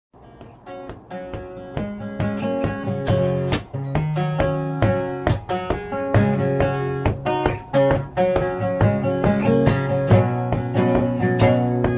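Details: Strummed and plucked acoustic guitar music fills the whole stretch, with no animal sound heard.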